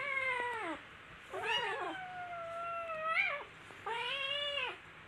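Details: Several kittens play and tussle, calling in four strong, tonal meows. Each rises then holds, and one steady cry in the middle stretches well over a second. A quiet room is heard between the calls.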